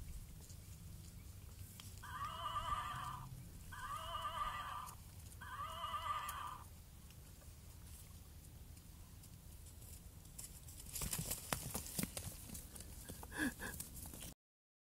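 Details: Miniature horse playing with a one-year-old baby that runs alongside it; three even, tonal whinny-like bursts about a second each, spaced roughly every two seconds, followed by rustling and clattering noise near the end.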